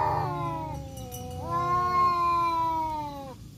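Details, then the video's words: A black tomcat and a striped tomcat meet again to fight in woodland in Indonesia, giving long harmonic yowls that slide downward, a brief pause, then a drawn-out steady howl. "KUCING MEONG MEONG BERANTEM ADU GERAMAN TANPA HENTI DI HUTAN"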